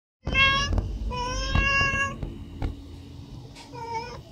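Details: Domestic cat asking for food, giving two long harmonic meows of about half a second to a second each, then a shorter third meow near the end, over low indoor rumble and a few clicks.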